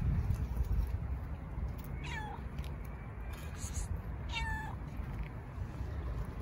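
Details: While being fed, a fluffy female stray cat that nips at fingers gives two short meows, each falling in pitch, about two seconds apart, against a steady low rumbling background.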